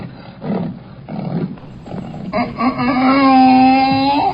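A donkey brays: a few rough, breathy pulses, then a long, drawn-out harmonic honk.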